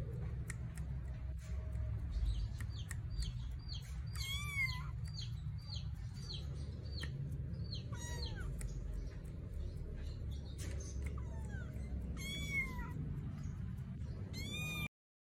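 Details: Young Persian kitten, two months old, looking for its mother, uttering a run of short high chirping mews followed by several louder rising-and-falling meows spaced across the recording, with a persistent low hum underneath.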